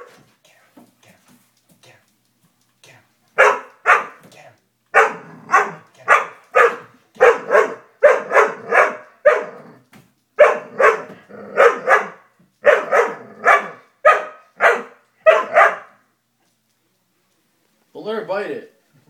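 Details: Faint sounds at first, then a Dobermann puppy scared of a stuffed toy launches into a long run of steady, evenly spaced barks in small clusters, ending in a quieter whining yelp.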